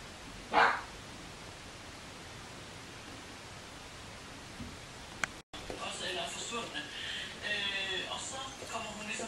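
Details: Bichon Frisé puppies of the V litter at a small kennel in Vejle, Denmark: a single sharp bark, a quiet pause, then a run of high, whiny yelps and squeals over a person talking in the background.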